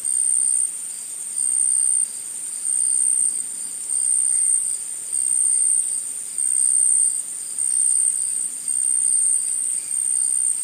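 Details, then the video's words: Forest insects in chorus: a thin, piercing, unbroken trill high in pitch, rising and falling in volume in regular blocks roughly every second, with faint ticking overhead and no other voices. "Insects In The Forest Sound Effect"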